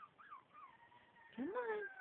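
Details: Havanese dog indoors, coaxed to howl: a faint wavering tone slides down, then a louder rising howl swoops up and holds with bright harmonics; a person's voice talks over it.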